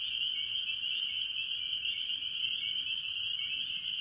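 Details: Spring peepers with other tree frogs at a farm pond early in the year, a dense chorus of high, piercing peeps merging into a steady shrill band that holds without pause throughout.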